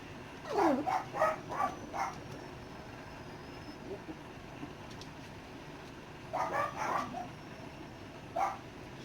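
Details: Weaning Dachshund puppies, six weeks old, in a larger pen with their mother: two clusters of short, falling yelps and yips a few seconds apart, then a lone squeak, fairly quiet against room noise.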